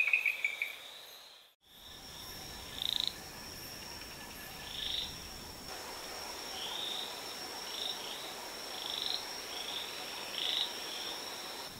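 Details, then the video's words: Rainforest frog from SE Brazil calling amid a dense high insect hum; a quick run of bright chirps opens, then short breathy bursts recur every second or two over a steady high whine. "Rainforest frog vocalizations"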